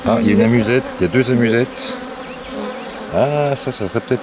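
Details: Agitated honey bees during the rescue of a drone-laying hive in May 2021: clustered loud buzzes with wavering pitch at the start, a quieter hum, then another strong swooping buzz.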